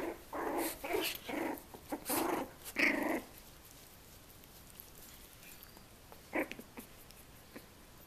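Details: Twenty-day-old puppies at play with their mother Mia: a run of short husky growls in the first three seconds, then near quiet with a couple of faint squeaks.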